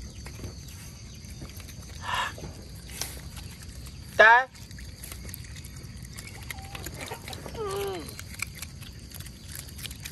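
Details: Otters at mealtime in mangroves, fed fish on a day mullets return: one sharp, loud harmonic squeal midway, then softer descending chirping notes, over steady hiss and crackling clicks.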